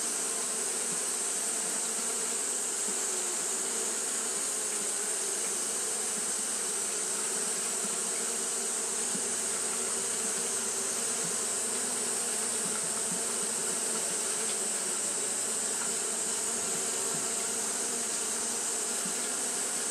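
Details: Japanese honey bees fanning nonstop on a hot day: a dense, steady buzzing drone with low hum bands and an even, constant high hiss running through the whole stretch.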